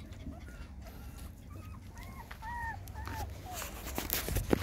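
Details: Puppies from a litter of six nursing on their mother GiGi give thin, high whimpering squeaks, several short rising-then-falling cries in quick succession over a steady low rumble, with rustling and handling noise toward the end.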